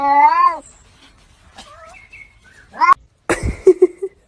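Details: Cat giving a loud, drawn-out meow with a slight rise and fall at the start, followed by brief squeaky sounds, a sharp rising cry, then clattering noises and short low cries.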